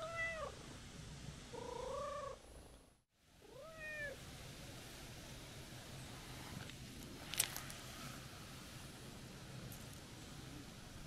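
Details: Meowing calico stray cat, crying as the person tries to head home; three arched, harmonic meows in the first four seconds, then only low hum and faint outdoor noise with a brief click.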